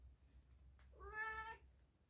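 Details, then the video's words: Domestic cat giving a single drawn-out meow lasting about half a second, harmonic and steady with a slight rise at the start, heard in a quiet indoor setting with low background hum. "MENGAJARI KUCING SUARA MEONG MEONG NYA HILANG ATAU TIDAK ADA SUARA"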